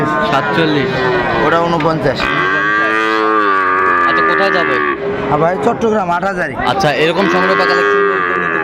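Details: Sahiwal bulls purchased by a farmer from Chattogram, 17 December 2024: loud, rich moos, one long sustained bellow then two shorter rising-falling lows, with people chatting in the background.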